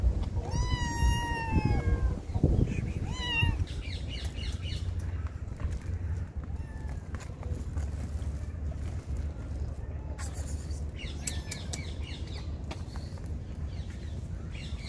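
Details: Hungry stray kittens and their mother at feeding time: two clear harmonic meows early on, followed by scattered faint mews, clatter and steady low outdoor background noise.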